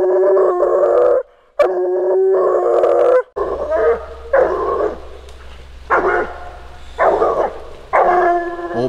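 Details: Bluetick coonhound baying while coon hunting, long sustained howls followed by a run of shorter bawls repeated about once a second, with a low steady hum underneath in the second half.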